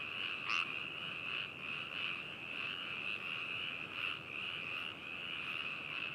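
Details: Frogs calling in Hakushu, Hokuto, Yamanashi, Japan, on 4 May 2018, taken with a binaural stereo microphone and handheld recorder: a dense, unbroken chorus of high croaking notes swelling and fading about once a second, with one brief louder call near the start.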